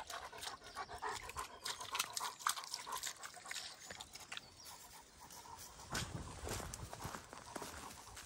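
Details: Greater Swiss Mountain Dog on a lazy Sunday, 30 April 2023, outdoors on a forest walk: soft, breathy panting in quick, uneven bursts of about three breaths per second, with light rustling and footsteps around it.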